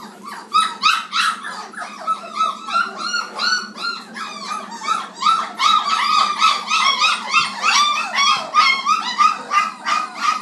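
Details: A litter of 29-day-old black Labrador Retriever puppies at feeding time, many overlapping high whining yelps and squeaks in a dense, constant chorus, rising and falling, with short, quick yips packed close together throughout.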